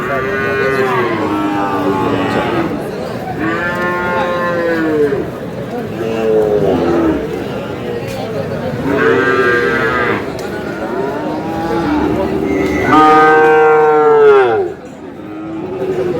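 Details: Sahiwal bull and other cattle at a Kurigram cattle market on 5 May: loud, harmonic moos, each about a second or two long, come roughly every two to three seconds, with people talking in the background.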